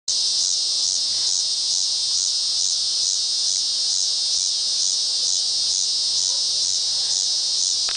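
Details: Unidentified cicada singing on the bank of the Arkansas River in Wichita, Kansas, on August 30, 2007 at 7 PM; a continuous high, hissing buzz pulsing steadily about twice a second, with no other clear sounds.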